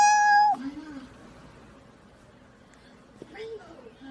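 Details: Domestic cat from a funny cats-and-babies compilation gives one level, harmonic-rich meow lasting about half a second at the start, followed by quiet human speech in the background and a short faint rising sound near the end.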